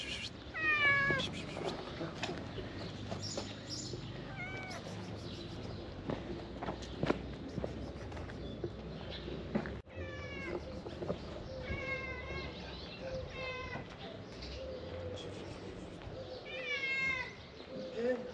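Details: Street cats gathering to be fed outdoors, several high rising meows repeated at intervals over steady background music and rustling.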